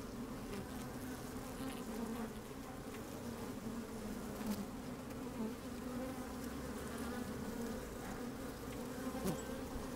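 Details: Honey bees moving about inside an open hive on a sunny, breezy day: an even, continuous hum with faint flickering buzzes and a few soft ticks from movement.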